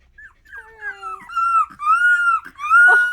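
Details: Miniature Australian Shepherd puppies making noise: several drawn-out high whines and whimpers, each rising then holding steady, repeated in bursts about every second, with soft yips in between.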